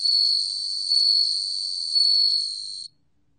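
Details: Ringing insect song of a bell cricket, archived by the National Institute of Biological Resources in 2020: a sustained high shimmering tone with three louder pulses about a second apart before it cuts off.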